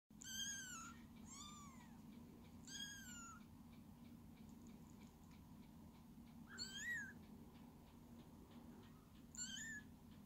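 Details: Several kittens at a cattery meowing in high, arched calls with clear harmonics, about five calls spread over ten seconds, some with a falling then rising shape, over a steady low indoor hum.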